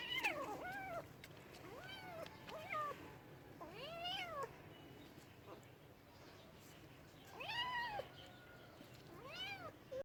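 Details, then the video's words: Cats meowing in a compilation of funny talking cats: a run of clear arched meows, some short and rising-falling, others longer and drawn out, in bursts with quiet gaps between them. "Funny cats sounds"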